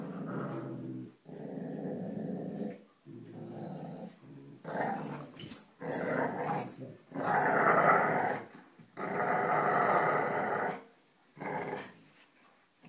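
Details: Several dogs, Cujo, Kali and Lilly, growl while playing tug with a rope indoors: long rough rumbling growls in bursts of one to two seconds, separated by short pauses, with a few sharper louder growls midway.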